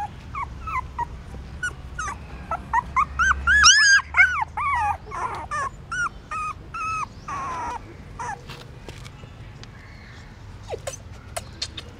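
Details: Newborn puppies suckling their mother's milk at a pagoda stupa in Siem Reap, Cambodia, hungry; rapid high squeaky whimpers rising and falling, several per second, strongest mid-clip, with a low hum early on.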